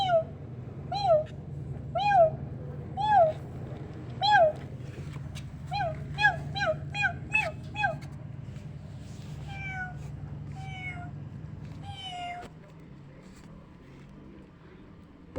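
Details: Kittens reacting to a meowing sound like their own: a run of short, high, bent meows, several per second at first, then softer drawn-out mews, over a low steady hum that stops near the end.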